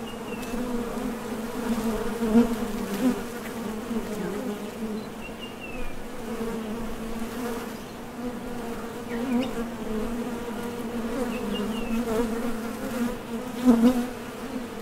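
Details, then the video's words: Honey bees buzzing at the entrance of a Top Bar Hive as foragers leave and land while going for nectar; a dense, steady hum with a strong low drone and layered overtones, swelling briefly as individual bees pass close. "HONEY BEES Sound Effect #MasonJar | BEES BUZZING"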